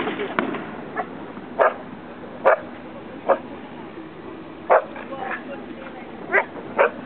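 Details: Gomaru, a Samoyed, greatly excited by fireworks at the Miare festival in Japan, gives about six short, loud barks spaced irregularly over seven seconds. Human voices and crowd noise continue underneath.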